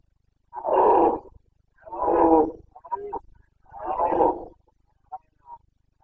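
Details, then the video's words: Bucovina Carpathian red deer stag in full rut, 29 September 2022, Romania. Loud, deep, raspy roars come in three long blasts about a second each, with broken grunting pieces between them and two brief grunts trailing off. "Boncănit / Carpathian stag Breeding season"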